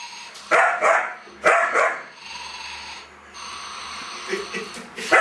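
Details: A German Shepherd puppy of two and a half months fights a snoring doll; a few sharp barks in pairs, then a steady mechanical drone from the toy, with more yaps near the end.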